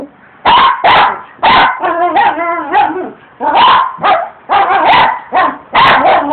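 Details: Pet dog barking and attacking rocks in the yard during yard work: a steady run of loud, rough barks, several in quick pairs, with a longer growly bark in the middle and brief pauses between.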